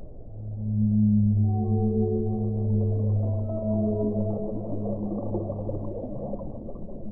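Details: Deep, loud whale moan with strong harmonics, holding a steady low pitch for about five seconds before fading. Softer higher tones waver and overlap above it over a hiss of muffled water noise.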